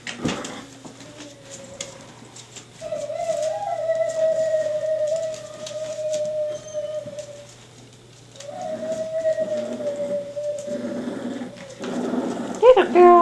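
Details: Staffordshire Bull Terrier puppies, Jenny's litter, five and a half weeks old, indoors: long, steady, drawn-out whines, each held for several seconds at an even pitch, with a short pause between them and a brief squeal at the end.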